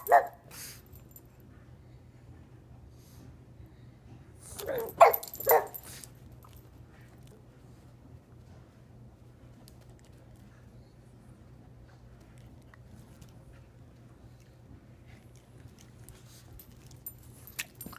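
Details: Pug barking for a treat, still able to jump and bark like a young pup; a short bark at the start, then a pair of sharp barks around five seconds, with low indoor hum and long quiet stretches.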